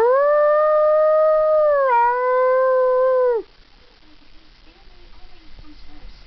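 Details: A pet Siberian husky gives one sustained howl, steady and mid-pitched, dipping slightly partway through and ending abruptly after about three and a half seconds. Quiet room noise follows.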